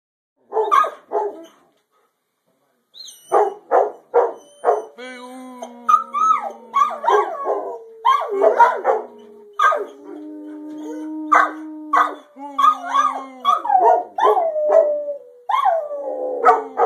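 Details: Several dogs howling together, long sustained wavering howls overlapping at different pitches, mixed with short sharp barks and yelps, the chorus building after a brief opening bark and pause.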